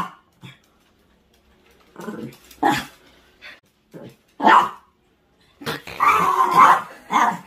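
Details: Pet Chihuahua in a room, protesting against a broom during cleaning with scattered short barks and growly snarls, ending in a longer harsh growling outburst.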